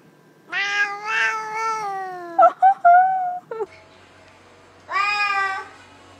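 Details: Pet cat "talking", giving drawn-out, tonal meows with rich harmonics: two long wavering calls, a few short sharp chirps near the middle, then one more meow after a quiet pause in a quiet indoor setting.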